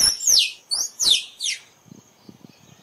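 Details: Squirrel call for luring squirrels when photographing: four loud squeaky notes dropping quickly in pitch, closely spaced in the first second and a half, then faint soft clicks and rustles.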